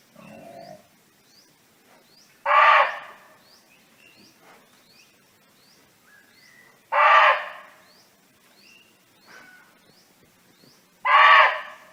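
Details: A barking deer roaming free in the wild calls to its companions with loud, harsh single barks, one roughly every four to five seconds.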